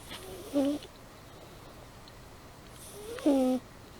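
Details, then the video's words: Sleeping cat Amy gives two steady whistling snores about two and a half seconds apart, each wrapped in an airy breath sound, with a hushed room between them. "Amy Purring & Snoring"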